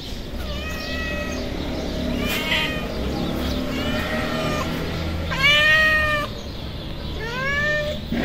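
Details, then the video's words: Hungry feral street cats, a tabby and a white cat with blue and yellow eyes, coming close and meowing: a run of five clear, drawn-out meows that rise then fall, over steady low outdoor rumble. "A hungry tabby cat and a white cat with very cute blue and yellow eyes come to me"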